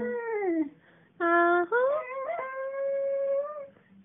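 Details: Allie, a seven-year-old female cocker spaniel from Thomasville NC, sings to her owner indoors: long wavering tonal howls, first falling, then a sustained steady note, separated by short pauses, with a woman's praise between notes.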